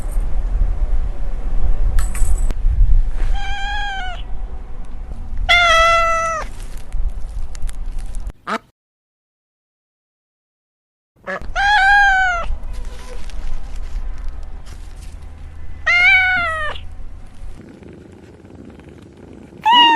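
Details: A meowing cat, its voice said to resemble laughing, gives separate rising-and-falling meows over a steady low rumble. A few seconds of silence break the sequence, then more meows come with faint clinks.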